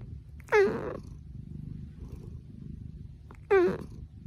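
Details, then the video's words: House cat making two short, clipped meows about three seconds apart, each a sharp falling chirp-like note, with a soft low rumble in between. "Funny Cats and Kittens Meowing"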